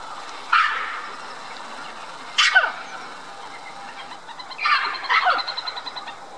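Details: Calling for attention from high in its tree, a red-capped mangabey at Dublin Zoo exchanges calls with white-collared mangabeys over the lake. Three spaced, raspy barks, the last breaking into a stuttering series of short notes.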